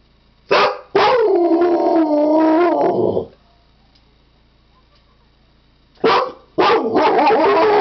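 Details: Siberian Husky howling: two long, sustained, steady-pitched tonal howls with rich harmonics. Each begins with a short yelp-like onset. The first lasts about two seconds and ends by dropping away; the second starts near the end. No other sounds in a quiet background.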